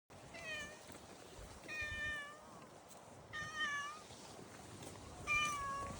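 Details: A domestic cat meows four times over six seconds, each call a clear harmonic cry spaced about one to two seconds apart, some gently falling in pitch at the end, over a soft indoor background hiss.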